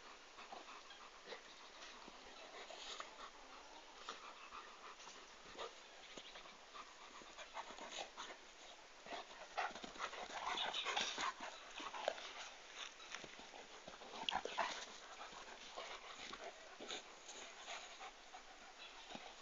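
A Komondor pants steadily, with quick breathy huffs at about three per second.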